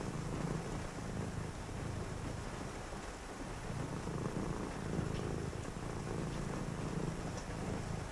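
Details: Purring house cat at night with rain falling outside; soft low buzzing purr rising and fading in regular breath-length pulses, over an even wash of rain noise.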